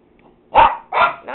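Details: Household dogs giving a quick run of three loud barks, the last trailing off, right after an owner calls come here; otherwise quiet room.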